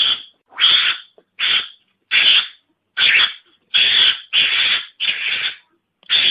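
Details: Mongoose lure call meant to draw the animal in: a rapid series of rough, raspy hissing bursts, each about half a second long, repeated roughly every three-quarters of a second with brief silent gaps.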